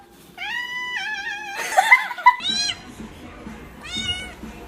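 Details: Domestic cat meowing several times, with mid-pitched, drawn-out calls that hold level and then curl upward. A noisy scuffle sits between the calls and faint background music plays.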